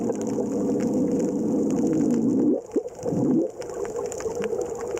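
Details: A Hawaiian monk seal makes a deep, gurgling growl, like a loud stomach rumble, lasting a couple of seconds, then brief clipped croaks and another rough, low growl; underwater sound recorded by researchers in Hawaiian monk seal habitat.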